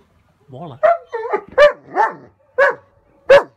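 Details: German Shepherd named Odin barking and howling in a tantrum at an approaching hot air balloon: a rising wavering whine, then sharp barks spaced unevenly, about seven outbursts in under four seconds.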